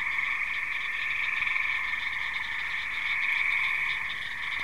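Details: A dense, loud frog chorus by a house: high, trilling calls blend into one continuous drone.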